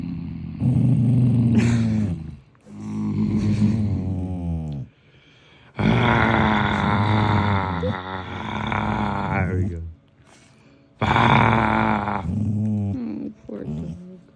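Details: A Shikoku dog, still sleepy early in the morning during cuddles, lets out long grumbling growl-groans, deep and throaty with wavering pitch. Each lasts about two to four seconds and is separated by short silent gaps.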